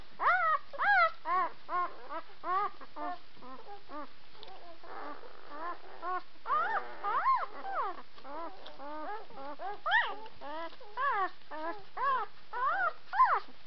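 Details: Rapid, continuous chorus of thin, arched whimpers from several White Swiss Shepherd puppies indoors, the calls overlapping in quick succession, rising and dropping in pitch, with soft rustling in the background.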